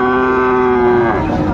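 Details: Bull calf, Friesian or crossbred, bellowing at the Dinajpur Raniganj livestock market on 2/1/25; a flat, even moo of about one second that fades away, with the hum of the market crowd underneath.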